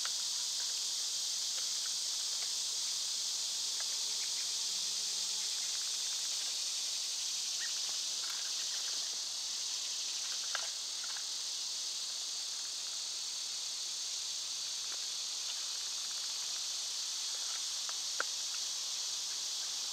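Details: Cicadas singing through a summer day, their shrill, continuous drone unchanging over twenty seconds, broken only by occasional faint clicks, snaps and distant bird peeps beneath.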